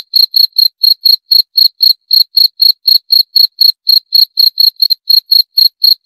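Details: Cricket chirping steadily, sharp high-pitched pulses repeated about four times per second with a faint higher overtone, continuing evenly for six seconds against a silent background.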